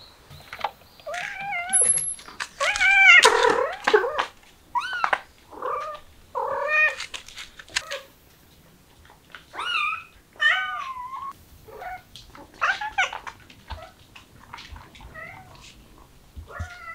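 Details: Several kittens meowing, excited by the smell of chicken: high, arched mews with rich harmonics come in rapid overlapping bursts, densest in the first seconds and then more spaced out, recorded indoors.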